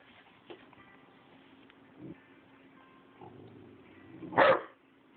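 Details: A 12-week-old Rottweiler puppy acting as a guard dog gives a single sharp guarding bark after a few soft, muffled sounds.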